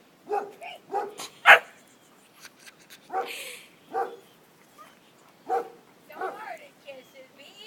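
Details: Kisses the dog keeps barking at a turtle tucked into its shell; single sharp barks arrive every second or so, with a person talking and chuckling between them.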